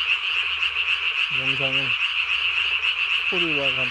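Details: Night-calling Japanese tree frog with a body-sized throat sac, recorded 3 May 2020; two separate croaking bursts, the second sliding downward, over a steady shrill background chorus.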